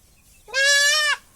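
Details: Goat kid bleating while being castrated: one loud, sustained, strongly nasal bleat lasting just over half a second, steady in pitch and dropping slightly at the end, with near silence around it.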